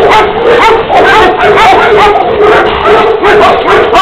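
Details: Tibetan Mastiff barking from a breeder's black female and black-and-tan dog of Xiang-He bloodline; loud, rapid repeated barks about twice a second, with a harsh compressed tone throughout.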